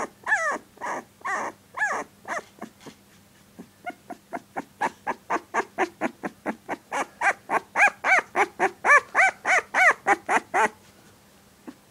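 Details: A puppy sixteen days old gives a few loud arched yelps, pauses with soft clicks, then builds a fast, even train of squeaky barks, nearly four per second, before stopping abruptly.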